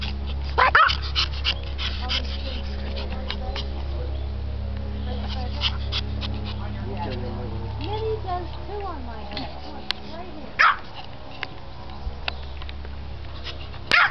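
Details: Little senior male Japanese Chin at a NE Ohio breed gathering, barking for his owner's attention: a few short, sharp barks near the start, middle and end, amid background conversation and a steady low hum.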